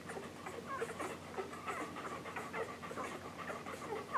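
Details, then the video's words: English Golden Retriever pups under a week old, nursing, litter born July 9, 2012. Uneven wet sucking sounds punctuated by thin squeaky whimpers, the last one louder near the end. "English Golden Retriever Puppies Nursing"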